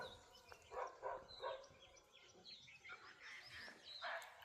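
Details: At night by a stream in Gir National Park, India, during a full-moon lion count, a barking deer gives short, sharp, dog-like barks in quick succession, calling and then running off.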